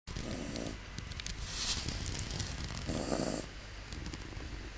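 A Miniature Schnauzer snores, with slow rasping breaths rising and falling in a steady rhythm.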